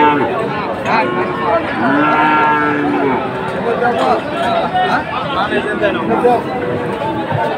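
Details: Heifer calves of Friesian and cross breeds, bought by farmers in Dhaka on 12 August 2024, give a low sustained moo near the start, partly buried under dense human chatter and crowd noise.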